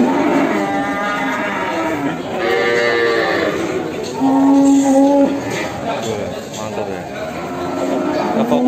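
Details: Simmental cattle, a bull offered for sale in Indonesia, lowing in a drawn-out, tonal moo over background speech and music.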